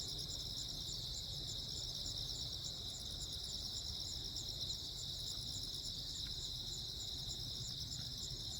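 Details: Crickets chirping on Jeju Island, South Korea, on 15 August 2024 during a lightning storm: a steady, high, pulsing chorus of several layered trills runs without pause, over a low background rumble.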